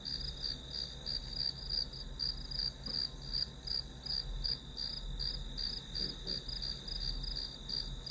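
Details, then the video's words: Study-session white noise of grass insects: a bright, pulsing high chirp repeating nearly three times a second over a low, steady hum. "풀벌레 소리"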